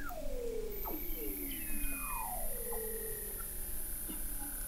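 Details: Under the Antarctic sea ice of McMurdo Sound, 21 m deep at the McMurdo Oceanographic Observatory in November 2017, Weddell seals give faint descending whistles and glides, beneath a steady high-pitched electronic tone.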